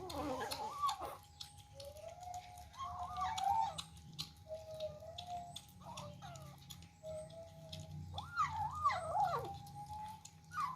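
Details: Kittens jostling over food at their first meal, scattered soft, flat mews with a few louder wavering cries near the end, against faint rumbling background noise and a steady hum.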